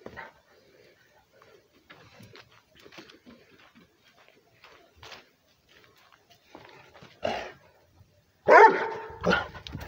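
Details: Rhodesian ridgeback barking at a person while running around after jumping over another dog; mostly quiet with faint scuffles, then two loud harsh barks near the end.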